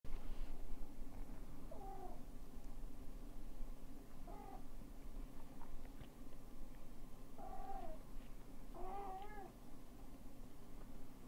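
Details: Male cat meeting his newborn kittens indoors; several short, soft, thin mews spaced a few seconds apart, rising then falling, over a steady low hum.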